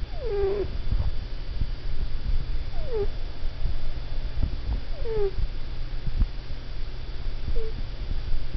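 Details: Pet cat asleep and dreaming indoors, giving soft, short downward-sliding squeaks, about four spaced a couple of seconds apart, over a low steady background hum.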